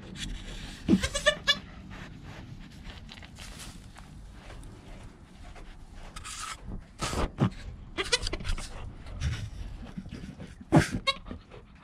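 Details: Newborn goat kid Joel, within an hour of birth beside his calm mother Penny, filmed on a GoPro: several short, high, harmonic bleats near one, seven and eleven seconds, spaced irregularly over low rustling and soft background noise.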